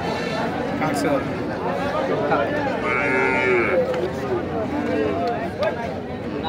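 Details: Sindhi bull calves at a cattle market at Nandail Chowrasta, Mymensingh, Bangladesh, on 8 May 2025: a long, low moo with rising and falling tones over a steady crowd murmur, with voices and market noise throughout.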